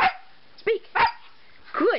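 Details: Turbo, a pet Siberian Husky performing tricks, gives short barks and a yelp when told to speak, four bursts in two seconds with brief gaps, and his owner praises him with "good boy".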